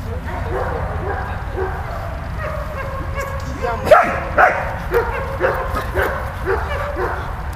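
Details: Malta the dog at play with Bulat, making high whimpering whines, then a loud bark followed by evenly spaced yips roughly every half second, with low steady hum beneath.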